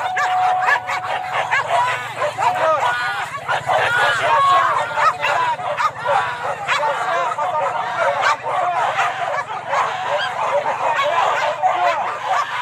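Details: Wild boar hunting dogs at Kayu Ampek, Tanah Datar: a loud, continuous tangle of barks and yelps from many dogs, with a whistle-like tone early on and human voices underneath.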